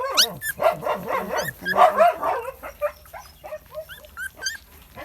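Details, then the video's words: Bangkaew puppies, the litter of Baitong, nearly one month old and playful, eating puppy food for the first time: several pups' high overlapping yelps and squeaky whines, rising and falling, in quick irregular bursts that fade to softer whimpers. "หมาบางแก้ว ลูกใบตองใกล้ 1 เดือน กำลังซนเลย"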